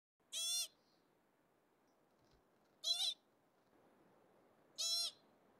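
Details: Field mice calling: three short, bright, rich-toned squeaks spaced about two seconds apart, each under half a second long, over faint background hiss.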